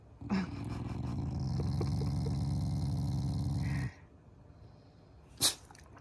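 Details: Growling Shiba Inu, a loving family pet expressing affection to its owners in its morning routine; a deep, buzzing rumble lasting about three and a half seconds, then quiet, then a brief sharp snort-like burst.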